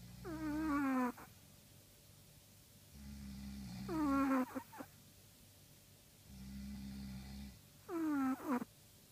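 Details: Snores from a Chihuahua: each breath pairs a steady low rumble with a sharp whistled squeak that slides downward and ends in a small snort. Three even breathing cycles, each about three and a half seconds long, in a quiet room.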